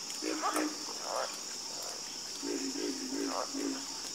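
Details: Frogs croak in a calming chorus: low, resonant, pulsed croaks, a few close together then a run of four or five in quick succession, set against a constant high shrill drone.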